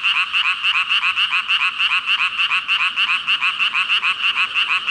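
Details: Massed frog chorus, said to be some five thousand animals, fast overlapping croaks pulsing roughly three times a second in an unbroken bright buzz, even in loudness from start to finish.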